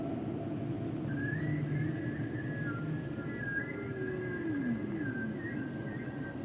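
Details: Humpback whale song underwater: long, thin whistled tones held near the upper range with slight bends, and a soft descending glide lower down, over a constant low rumbling ocean hiss.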